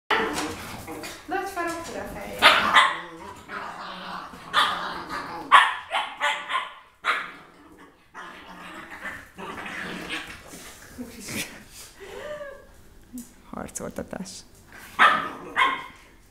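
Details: Two dogs fight, recorded 25 January 2015, with rough barks, snarls and growls, and a person's voice breaks in now and then.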